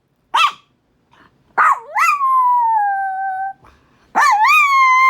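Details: Pet Chihuahua Winnie in Minneapolis, upset by the monthly tornado siren, gives two quick barks, then a sustained wavering howl lasting over a second, followed by another bark that rises into a fresh howl.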